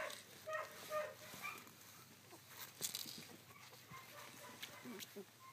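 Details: Collie puppies sixteen days old, recorded 3 June 2013. Thin whining squeaks cluster in the first second and a half, then thin out into sparse, quieter whimpers over faint rustling.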